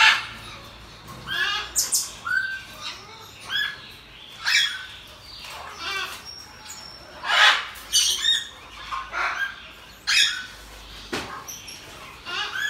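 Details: Pet pygmy marmoset that has just given birth to two babies, kept at home; sharp high squeaks and short chirps come in irregular bursts, some rising or falling, with brief gaps of quiet between them.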